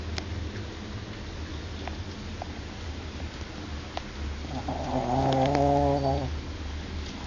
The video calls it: Shih tzu snoring